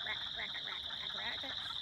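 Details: A spring chorus of wood frogs at a flooded pond gives hoarse, duck-like quacking clucks over the steady, higher comb-like trilling of chorus frogs.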